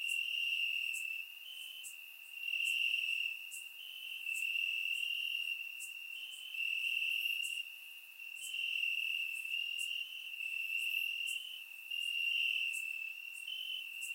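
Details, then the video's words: Crickets chirping at night in the grass, Bulgaria, warm summer; surround microphone. A shrill sustained trill pulses in waves every two seconds or so, with faint sharp clicks scattered above. "Cricket Sounds - Crickets Chirping at Night"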